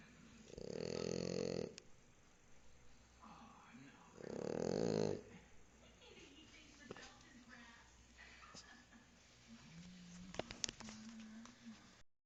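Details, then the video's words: Sleeping French Bulldog Mozita snoring noisily: two loud, harsh, rattling snores about three seconds apart, followed by quieter breathing and faint background noise. "Bulldog francés Mozita roncando"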